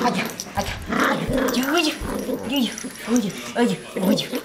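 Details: A Yorkshire Terrier playing with a person in August 2012 gives soft, rumbling purr-like grumbles that rise and fall, with human voices nearby.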